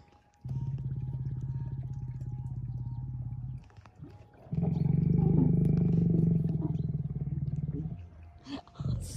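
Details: In Crimea, the lioness Simona is with the male lion Girey while Sultan is also present. Two long bouts of deep, rapidly pulsed rumbling growls, the second louder, with soft background music.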